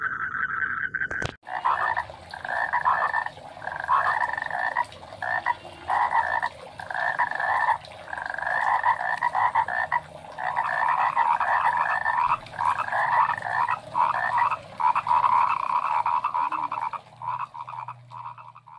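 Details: Rice field frogs in full chorus, many croaking voices overlapping in rhythmic pulsed bursts that swell and pause, after a brief click at the start, with a faint low hum near the end.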